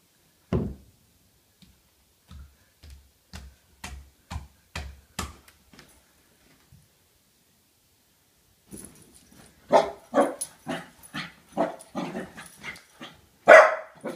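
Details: Pembroke Welsh Corgi named Samus, indoors and confronting a bowling ball. A series of soft, evenly spaced knocks comes first. Then a rapid volley of about a dozen sharp, loud barks follows in quick succession, with the last one the strongest.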